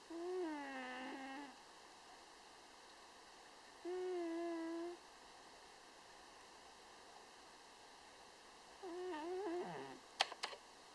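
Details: A pet cat naps on a cushion and snores, each breath making a droning, slightly wavering nasal hum. Hums return every few seconds with quiet pauses between, and soft clicks sound at the end.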